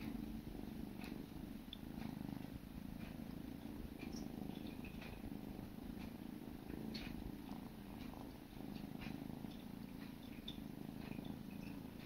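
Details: Kittens, siblings, grooming one another; continuous low purring rumble across the whole stretch, with light ticking and licking noises scattered over it.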